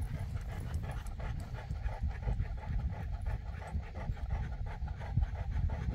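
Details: Boerboel, or South African Mastiff, from a pair named Enzo and Diva living in Egypt, panting heavily: rapid, rhythmic breathy huffs, several each second, steady throughout with a deep rough low end, and a brief voice at the close.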